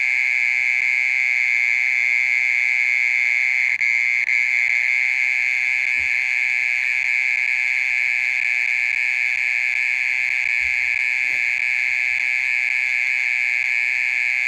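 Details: Mole cricket calling at night, singing continuously for over thirty minutes; a loud, monotonous high buzzing trill holds steady, with a few faint low knocks in the background.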